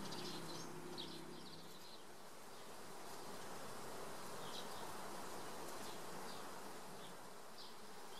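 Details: Western honey bees (Apis mellifera) in the Cévennes, France, in 2016, hum in a steady, droning buzz, with faint bird chirps in the background.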